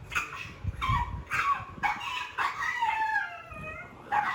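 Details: A jealous Pug barks fiercely at pugs and other dogs on TV, defending his territory, with short, high yelping barks, then a drawn-out whine that slides downward.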